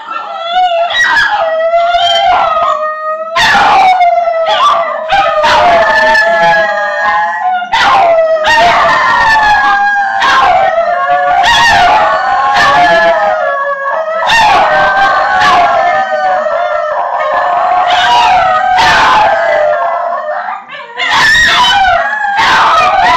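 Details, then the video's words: A pack of basenjis howls along to a TV theme tune in a long, wavering, yodel-like voice that slides up and down without pause. "basenji singing"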